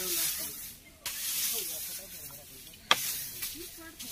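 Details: Spectacled cobra, a venomous Indian cobra, being rescued from Kalashree village in Balichandrapur, Jajpur district, Odisha. Sustained airy hisses fill most of the recording, broken by a brief pause, with a sharp click and soft human voices in the background.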